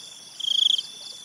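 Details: A cricket at night in a forest setting beside a river gives one brief pulsed trill, about half a second of rapid high clicks, above a faint continuous high-pitched insect drone.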